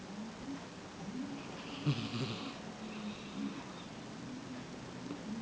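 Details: Sphynx cat snoring while asleep on a person's lap indoors, soft low rasping breaths rising and falling, with a brief breathy hiss near the middle.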